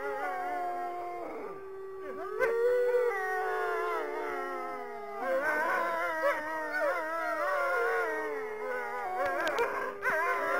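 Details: Wolves howling, lone animals and a pack: long sustained steady howls with rich harmonics, overlapping voices rising and falling, several howlers joining around the middle and near the end.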